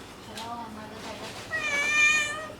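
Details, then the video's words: Mother cat with her baby kittens, playing and talking to them indoors: a faint low meow first, then a louder, high, harmonic-rich kitten meow that rises and holds, with soft background noise. "Mom Cat playing and talking to her Cute Meowing baby Kittens"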